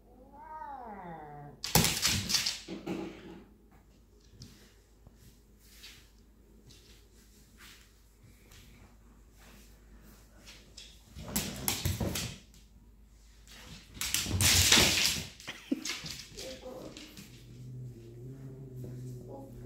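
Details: Domestic cat, aggressive lately and attacking the dog, indoors: opens with a drawn-out wavering yowl, then loud harsh noisy bursts near two, twelve and fifteen seconds, and a low steady tone toward the end with quiet stretches between.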